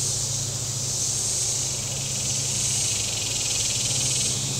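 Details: Cicada chorus on the shore of Table Rock Lake in southern Missouri on a hot day, a dense high sizzling drone that swells slowly about every two seconds, with a low motorboat rumble beneath.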